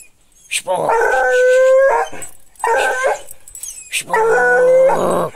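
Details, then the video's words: American hound howling: three long drawn-out howls, each about a second long, holding a steady tone with rich harmonics and separated by short gaps. "cachorro americano urrador"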